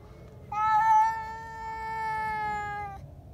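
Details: Indoor cat suddenly screaming after spotting another cat outside: one long loud harmonic wail of about two and a half seconds, steady then slightly falling.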